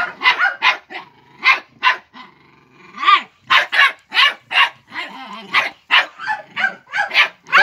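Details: Five-month-old Jagdterrier facing a wild boar, barking in rapid excited bursts, several per second, with a man's Hungarian shouts of encouragement between barks.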